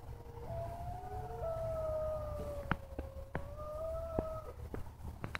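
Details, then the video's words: Mexican gray wolves at a zoological sanctuary, early on a morning in daylight, howl in long, smooth, overlapping notes that glide gently up and down in the distance. "Wolf Howl in the Distance"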